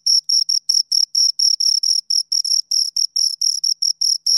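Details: Crickets, two of them, rubbing wings to chirp: shrill pulses of slightly uneven length and spacing, about two per second, loud and close, with no other noise.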